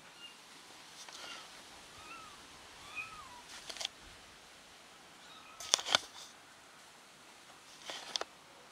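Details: Lost kitten reunited with her family, giving several short, high, arched meows in quick succession early on, then sharp clicks and rustling bursts with a few quieter cries between.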